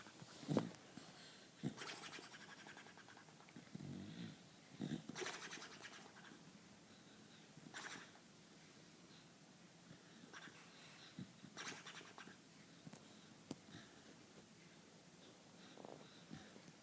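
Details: A Beagle snoring, low rasping breaths rising and falling every one to three seconds, soft and close, with a few faint clicks and rustles in an otherwise quiet room.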